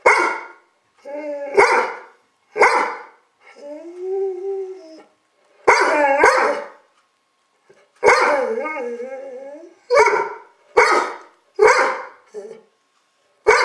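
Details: Gunner the dog barks at the camera in a rapid string of about a dozen sharp, gruff barks, broken by two longer wavering, whining howls, the barks spaced under a second apart in places.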